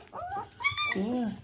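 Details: Three-week-old puppies after a feed let out short tonal whines and squeals, one high and bending, followed by a lower drawn-out moan.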